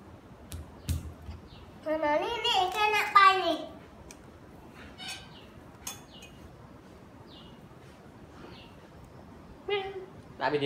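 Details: Pitiful-sounding pet cat with a long wavering meow lasting about two seconds, followed by quieter clicks, then a short meow near the end.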